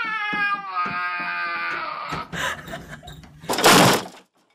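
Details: A Siberian Husky puppy that seems unable to bark makes a long, wavering, harmonic whine-like howl for about two seconds, then softer mumbling sounds, ending with a loud burst of noise.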